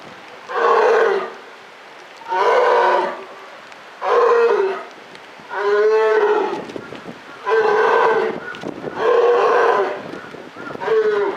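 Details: Captive polar bear at Maruyama Zoo, October 2013, giving a series of seven hoarse, harmonic, moo-like calls, each about a second long, repeated roughly every one and a half seconds with short quiet gaps.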